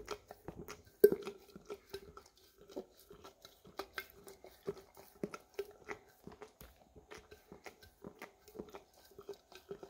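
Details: English cream Golden Retriever pet licking peanut butter from an almost empty jar indoors, recorded on a Samsung Galaxy S10e: rapid wet tongue clicks and smacks in an irregular stream, several per second, with one louder knock near the start in a quiet small room.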